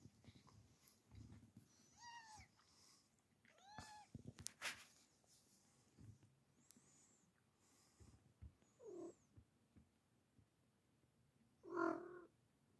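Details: F6 Savannah kittens playing and cuddling with Bengal cats give a few thin, high meows, spaced several seconds apart, with soft rustling between.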